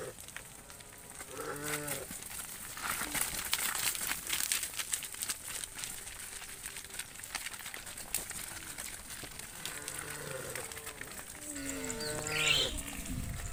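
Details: A tame herd of cattle being led back to the farm pen at sunset gives short, low moos that drop in pitch, nearly buried under steady crackling and rustling noise.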